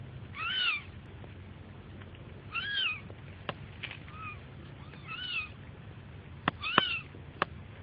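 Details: Kitten giving five short, high, arched meows, each rising then falling, spaced roughly a second or two apart, with faint clicks and a low background hum between calls.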